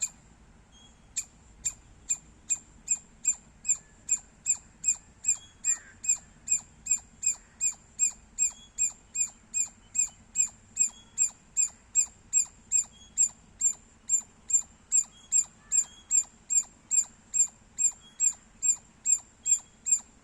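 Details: Squirrel giving loud, sharp chirps repeated steadily about two and a half times a second for the whole stretch, each a quick high click-like note, with a few slower, quieter notes at the very start.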